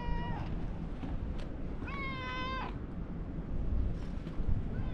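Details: Lion-like ginger tabby cat welcoming arrivals at a fishing port; a short meow at the start, then a clear sustained flat meow around two seconds, with a brief faint cry near the end, over constant low rumbling background noise.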